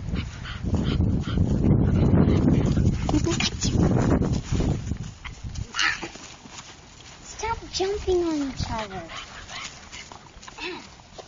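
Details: Two American Bulldog puppies at play: rough scuffling and rustling fill the first half, then brief high, wavering whines and yelps rise and fall near the end, with some background voices.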